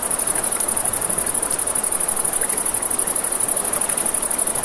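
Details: Crickets at night beside a river: a steady, very high-pitched pulsing trill runs unbroken throughout, layered over the broad rush of flowing water and scattered crackles of a campfire.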